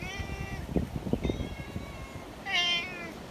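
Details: Community cats in the mountains on a stormy, windy day: three drawn-out meows, the last one loudest and strongest, with soft thumps and rustling between calls.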